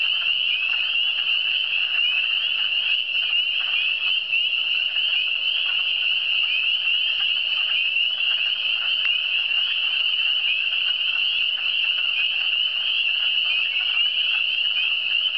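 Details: A continuous chorus of frogs in the Eastern Townships, shrill short upward-sliding notes repeated by many callers at once, making a uniform high trilling hum that holds level throughout.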